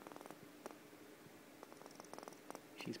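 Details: Pet female squirrel purring heavily indoors, before starting to bark when upset: rapid trains of soft clicking pulses repeated through the clip, with a woman talking quietly over it and a brief rustle near the end.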